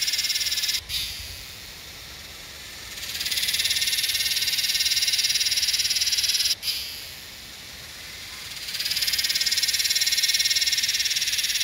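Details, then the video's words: Psaltoda harrisii, the Yellowbelly cicada, recorded in Northern NSW, Australia, 8/12/20; intense high-pitched rattling drone alternates with softer hissing stretches, each loud phase ending in an abrupt brief cutoff. "Yellowbelly cicada call (Psaltoda harrisii)"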